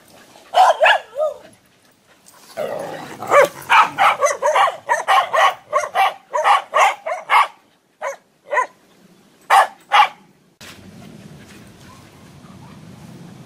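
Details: Gwen, a sweet, gentle, playful little female Whippet mix up for adoption, barks in a rapid run of about twenty sharp, ringing yaps, clustered in bursts with brief pauses over ten seconds, before a low steady indoor hum takes over.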